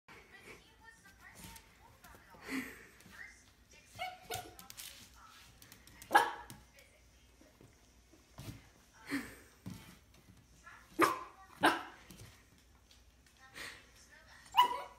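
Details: A 2-month-old Miniature Schnauzer puppy, seeing his reflection for the first time, gives short, sharp yapping barks with pauses between them.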